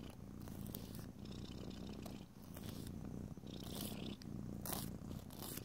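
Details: Domestic cat purring through a quiet indoor nail-filing session; a continuous low, throbbing purr runs throughout, with bright rasping strokes of a nail file cutting in every second or so.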